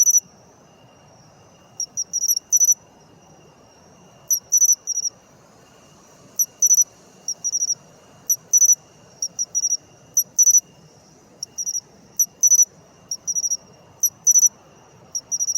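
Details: Matsumushi (pine cricket) singing in autumn, its call rendered as chin-chiro-rin: short bright high-pitched chirped phrases of two to four quick pulses, repeated irregularly with gaps of about a second, over a faint steady insect hum.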